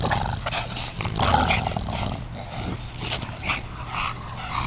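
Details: Dog, Watson or Huey, growling during a game of ball: rough, low rumbling growls with a noisy, broadband edge come in uneven bursts across the clip, rising and falling in loudness, with faint household background.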